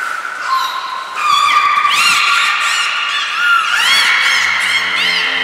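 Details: Nana, Mirai and Niko, belugas in training at the Port of Nagoya Public Aquarium on 11 January 2021. Level whistles break into a quick series of rising, arching chirps with strong harmonics, and a faint low hum sounds near the end.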